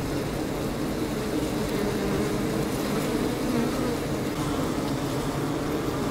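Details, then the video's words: Constant, even hum of honey bees fanning the hive and collecting water from a leaky hose, a mid-pitched buzzing tone wavering gently as bees move about, with no other clear sounds. "Bees Drinking & Fanning"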